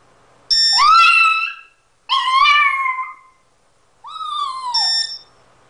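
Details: A young dog's 'singing': three separate howls, each about a second long, swooping up and then sliding down, pitch bending slightly, spaced roughly two seconds apart in a quiet room.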